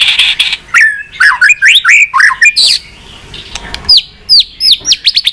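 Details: White-rumped shama song used to excite pet shamas: a buzzy burst, then fast looping whistles and a run of crisp downward-slurred high notes.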